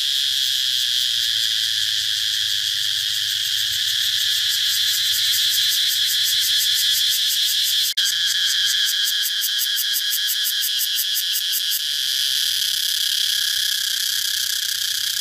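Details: A loud cicada buzz that shifts midway into fast, regular pulsing for about four seconds after a sharp click, then settles back to an even drone.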